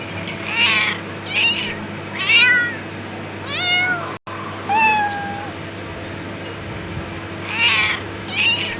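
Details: Domestic cat meowing repeatedly, about once a second, mixing short clipped mews with longer wavering meows that bend down in pitch, over a steady low room hum.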